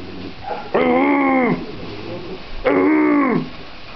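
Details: Singing schnauzer with two drawn-out, nasal howling notes, each lasting under a second and separated by a short pause. A faint room murmur sits underneath.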